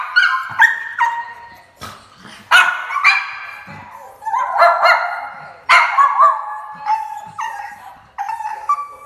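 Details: Jack Russell Terrier, woken up by a visiting carpet python, barks excitedly in repeated bursts of sharp, harmonic barks and higher yips, about a dozen over nine seconds, with short gaps between them and no other clear sounds.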